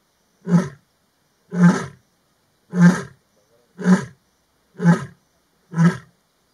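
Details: A Maji ya fisi pride lioness communicating with other pride lions in the afternoon; six short, powerful, low grunting roars delivered at a steady pace of roughly one per second, closing a roaring bout.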